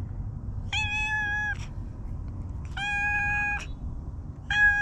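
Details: Stray cat with a distinctive moustache-like nose marking, in a park in Japan: three drawn-out, steady meows, each under a second long, with a low background hum.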